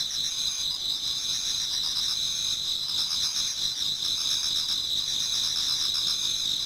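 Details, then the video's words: Autumn insects singing toward dawn in a Japanese garden: a dense, steady high-pitched chorus with bright continuous bands and faint pulsing trills layered beneath, many callers at once. "Autumn Insects voice Towards dawn"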